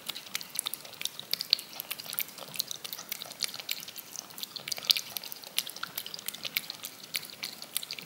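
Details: A cat licks yogurt from a spoon with crisp, bright, wet clicks, rapid and irregular, with a few louder smacks standing out from continuous soft lapping.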